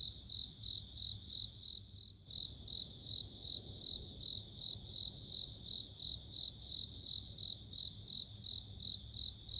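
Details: High ringing chirps of bell crickets pulse steadily about three times a second, several insects overlapping; a brief dip in the low background noise early on, otherwise a constant faint rumble.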